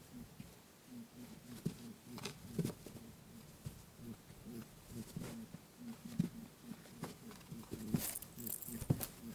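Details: Lop-eared pet rabbit indoors, chasing its friend Pooh in play while making its 'boo-boo' call: rapid, low, soft grunting pulses strung together in quick runs, with light pattering footsteps. Recorded on a TASCAM DR-07X.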